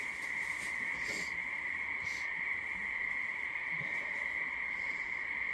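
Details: A frog chorus on a full-moon night in mid-February: many frogs merge into an unbroken, high-pitched ringing hum with a lower undertone, while faint human sounds come and go behind it.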